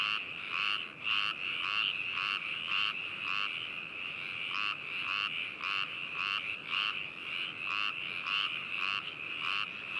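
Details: Frogs in Hakushu, Hokuto, Yamanashi, Japan, captured binaurally on 4 May 2018; fairly regular croaks almost two per second stand out from a steady, shimmering trill of a larger chorus.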